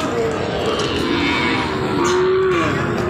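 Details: Nepali Gir and Sahiwal cattle at a busy cattle market in Joypurhat, Bangladesh, recorded on 24 August 2024; a few short, low, drawn-out moos rise above a steady din of crowd noise and market bustle.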